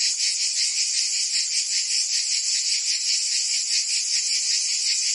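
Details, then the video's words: In summertime Provence, France, many cicadas sing together: a bright, piercing buzzy wall of sound with rapid rhythmic pulsing, continuous for the whole stretch. "Cicadas singing in France (Provence)"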